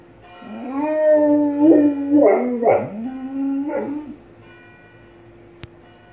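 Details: Dog belting out multiple howls in tune with church bells ringing next door: a rising howl swelling into wavering, bending notes over about four seconds, then a fading bell tone and a sharp click.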